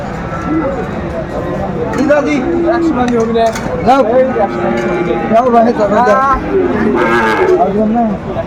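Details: Sahiwal bull calf at a cattle market in Chittagong, Bangladesh, 7 December 2024: a steady, low drawn-out moo held for a second or two, then a longer level lowing, under constant crowd chatter and bargaining voices.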